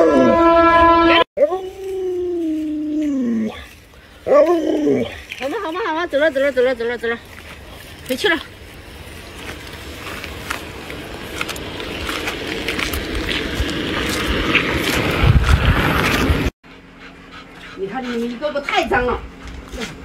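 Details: Pet Alaskan Malamute Luoluo, indoors and spooked by its owner in a mask, gives a drawn-out falling howl, then wavering yodel-like notes, followed by a long stretch of broad rustling noise and faint voices.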